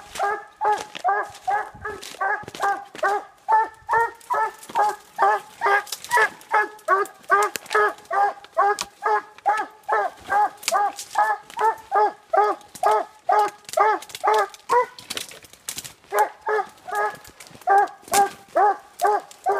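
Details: Treeing Walker Coonhound at the tree late at night, barking rapidly and persistently, over two barks per second of short, bright, harmonic yelps, with a short break about three quarters through before the barking resumes.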